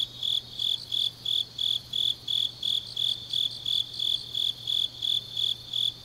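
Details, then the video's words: High, ringing pulses from grass insects at night in autumn, Changnyeong, Korea, evenly spaced at roughly three per second, with softer insect chirps layered above and a faint low drone beneath. "깊은밤 가을 풀벌레 소리"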